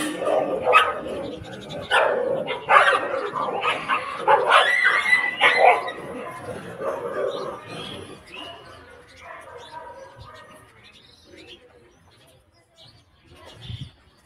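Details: Stray dogs on a street separating two locked dogs: a run of rapid, irregular barks and yips for the first eight seconds, then fading to quieter whines and near silence, with a last faint bark at the end.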